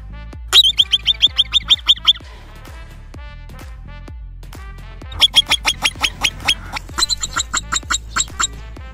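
A marmot gives bursts of sharp, high whistled chirps in quick series, with music playing underneath.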